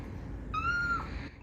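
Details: Blind domestic cat meowing while wanting to be carried on a shoulder: a single clear tonal meow, level and slightly rising, about half a second long, over low room hum.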